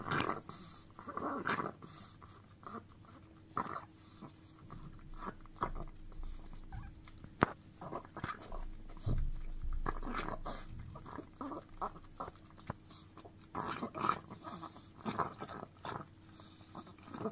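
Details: Indoors, the chihuahua Dio keeps licking a frying pan, with long stretches of irregular wet lapping and smacking, occasional louder knocks of the pan and brief pauses between bouts.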